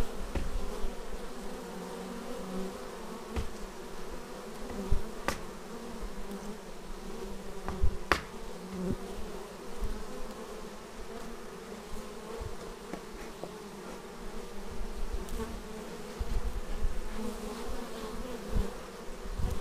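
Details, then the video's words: Bees returning to the hive, recorded raw on an action camera: an even, layered droning hum punctuated by scattered sharp clicks and knocks of bees bumping near the lens. "Bees arriving at hive"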